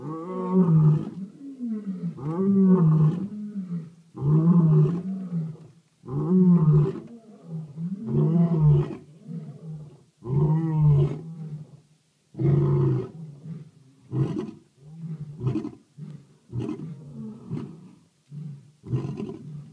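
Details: Lions roaring in South Africa in the dark of night: deep, low grunting roars in a steady series, roughly one every two seconds, rising and falling in strength, fading toward the end.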